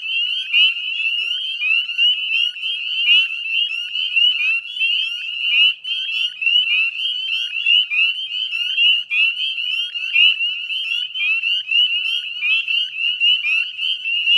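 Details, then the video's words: Dusk chorus of many northern spring peepers at the Chezzetcook salt marsh, Nova Scotia, on 18 May 2020. Shrill upslurred peeps overlap without pause in a thick, ringing wall of sound. "Northern Spring Peeper Chorus"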